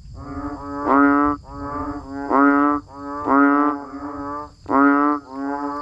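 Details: Banded bullfrogs and frogs calling in the rain: deep, nasal bleating notes alternating between louder near callers and softer ones, about one every second, overlapping into a droning chorus above a soft steady high hum.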